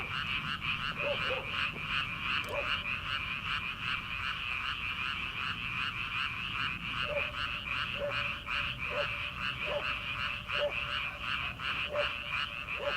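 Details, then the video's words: Early-summer frog chorus in rice paddies ahead of transplanting season: a thick, steady wall of rapid pulsed calls from many frogs, punctuated by brief lower croaks, sparse at first and then repeated about once a second. "초 여름 개구리 울음소리/ 논에서 들리는 개구리 소리"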